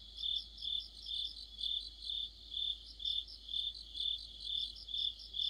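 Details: Cricket chorus in the deepening autumn night, with swelling chirps pulsing at an even pace, about two per second, and a busier band of higher insect trills layered over them.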